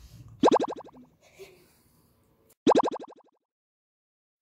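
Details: Two springy boing sound effects bounce down in pitch, separated by faint rustling and quiet background noise, with no dog vocalization.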